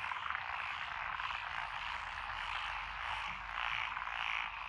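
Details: Many frogs calling together in lotus rice paddies in Echizen, Fukui Prefecture, Japan, 12 June 2021: a thick, steady wall of croaking with occasional stronger rising bursts near the end.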